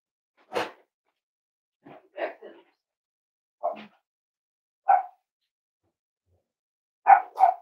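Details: Cavalier King Charles Spaniel dogs indoors at Red Barn Cavaliers kennel during a puppy livestream with 5-week-old puppies; short sharp yips and barks spaced irregularly, a pair of quick barks near the end, quiet room between.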